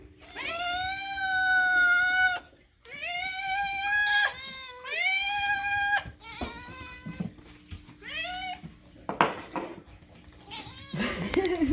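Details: Pet cat indoors meowing insistently: a series of long, loud, wailing meows, several rising then held, some shorter and broken, followed by clattering handling noises.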